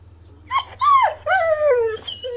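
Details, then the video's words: Indoor Pit Bull dog "talking" back and protesting after its owner says it already went for a walk; three or four drawn-out whining, groaning calls in quick succession, some bending downward, over a constant low hum. "Talking Pitbull Goes Off On Dad When He Doesn't Like What He Hears!"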